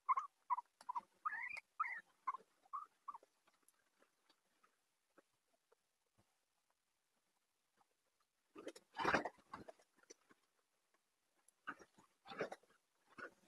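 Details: Guinea pigs in a house full of them: a run of short, squeaky whistled notes, some rising and some falling, repeated quickly for about three seconds, then quiet, then louder rustling and scuffling noises later on.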